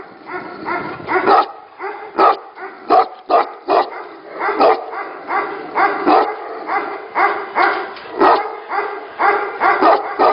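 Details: Barking Tibetan Mastiffs at a Tibetan Mastiff 'factory': a steady stream of sharp, harmonic barks over ten seconds, several dogs overlapping so the barks come irregularly, sometimes in quick pairs.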